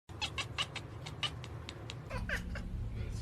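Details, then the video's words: A domestic cat chattering at birds gives a rapid burst of about eight short clicking, bleating notes, then a couple of brief chirpy mews over a low background rumble. "funny cats chattering at birds"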